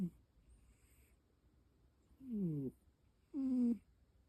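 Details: Heavily snoring cat: two low, buzzy, tonal snore sounds about a second apart, the first sliding slightly, the second held steady, each lasting roughly half a second over a quiet, faintly hissing background.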